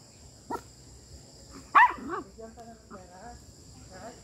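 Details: Micro miniature pinscher, a small dog, gives a sharp bark at about 1.8 seconds, then softer whiny yelps with a single weaker yap earlier; a woman speaks Portuguese, and a steady high electronic tone runs throughout.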